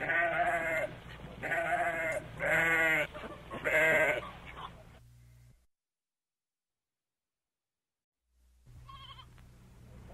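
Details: Goat bleating in four loud, wavering, harmonic-rich calls of under a second each, repeated about every second, then a pause of near silence before a faint further call.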